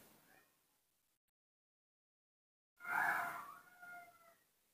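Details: Newborn baby monkey asking for milk: after a quiet stretch, a loud tonal cry with clear harmonics, steady then slightly falling, followed by a second shorter cry, with faint rustling earlier.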